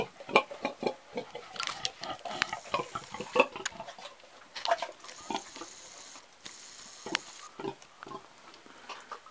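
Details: Grunting from an old pig: quick, uneven series of short, gruff grunts and breathy snorts throughout, some louder harsh bursts near the start and middle, about twenty grouped repeats a minute.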